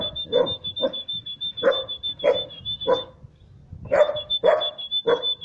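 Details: A three-month-old Siberian Husky puppy barks at someone it doesn't know: short, punchy barks about one or two a second, unevenly spaced, with a thin, steady high-pitched whine behind most of them.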